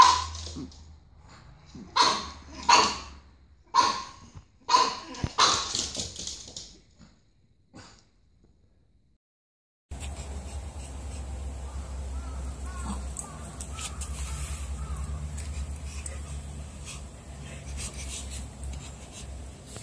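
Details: Puppy yipping in a series of short, high barks with bright harmonics over the first six seconds, then quiet; the second half turns into steady broadband noise with a low hum and no clear barking.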